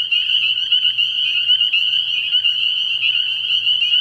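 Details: Many spring peepers at a frog pond on an early spring night, sharp high whistled peeps stacking into a dense, shimmering, continuous chorus without pause.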